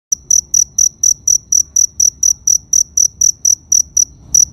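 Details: Cricket chirping in a steady, high-pitched series of short pulsed chirps, about three to four each second, with a faint low rumble beneath.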